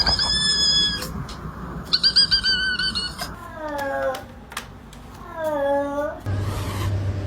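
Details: Pet cat making weird sounds indoors: several high, squeaky, drawn-out meows, the later ones sliding downward in pitch, amid room noise and a brief low hum near the end.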